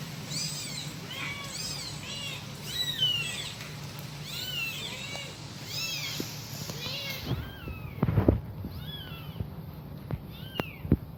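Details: Kitten calling its mother, giving rapid, high, arched meows in quick succession, sometimes overlapping, then sparser cries with sharp knocks and clicks in the final seconds.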